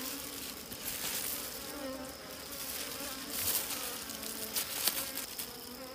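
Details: Bees buzzing at a wild honey site in the wild, a sustained low drone with faint overtones, joined by brief rustling and tapping bursts midway and near the end.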